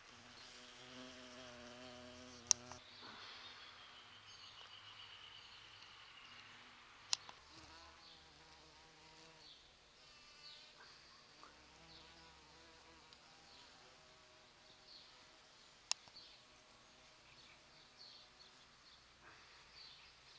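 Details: Large bumblebees drawn to the rose-scented flowers of sete capotes in a garden during the mid-November flowering; a droning buzz that comes and goes as the bees move between blossoms, louder early on, with a few sharp clicks.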